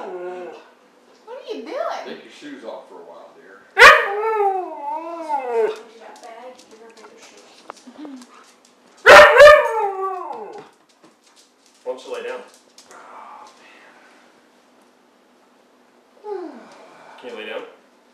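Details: While playing, a Siberian husky utters wavering, howl-like whines that rise and fall in several sweeping bursts. Softer yips follow, and Spanish speech is heard between the calls.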